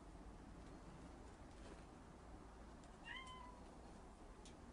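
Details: Domestic cat playing with a laser; a single short, rising-then-falling meow with stacked harmonics in the middle, otherwise steady low background hum.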